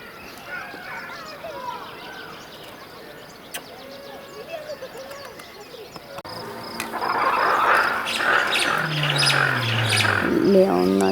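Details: At sunset at Taigan lion park during the 2020 lion season, ruffed lemurs break into a loud, raucous, braying chorus after a stretch of quiet bird chirping.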